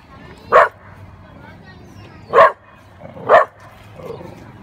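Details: Black Labrador confronting a cow: three short, sharp barks spaced one to two seconds apart, with a faint low hum in the background.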